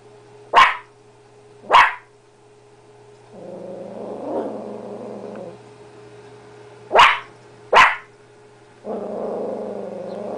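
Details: Miracle, a blue heeler–chihuahua mutt, confronting her reflection: sharp barks in pairs alternate with stretches of rumbling growl, and a faint steady hum runs underneath.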